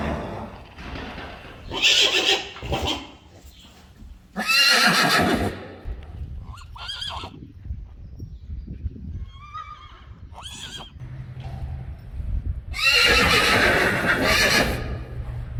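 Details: Friesian horses neighing repeatedly: loud, broad shaking whinnies around two, five and thirteen seconds, with a few shorter higher nickers between, over low stable rumble and shuffling.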